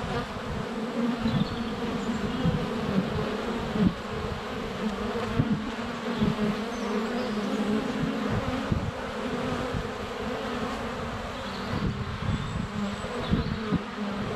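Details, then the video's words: ['Close GoPro Hero 7 Black recording at a honey bee hive entrance in sunny February weather: continuous thick buzzing of many flying bees, fluctuating hum as individuals zip past, faint bird calls in the background.'] "4K Honey Bees - ambient video and audio"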